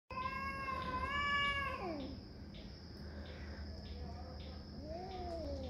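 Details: Domestic cat in a territorial fight, a long harmonic wail held steady for nearly two seconds, then sliding sharply down. A softer rising-and-falling moan follows near the end over a steady insect trill and low hum.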